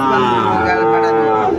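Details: Sahiwal cattle at a Comilla cattle market, Bangladesh, 1 October 2024. A single steady, droning moo holds briefly at an even pitch, with market noise behind it.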